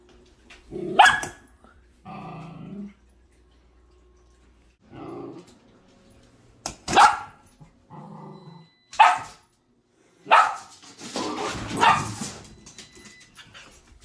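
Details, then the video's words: Female Sheltie puppy at feeding time inside the home, warning cats not to steal her food: a series of sharp barks roughly every two seconds, interleaved with short rough growls, ending in a longer grumbling stretch. "Sheltie Puppy Warns The Cat Every Day At Dinner Time"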